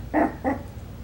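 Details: Coton de Tulear puppies, five weeks old, from Hannah's litter, on their first outing from the kennel, give two short, soft barks about a third of a second apart in a quiet room.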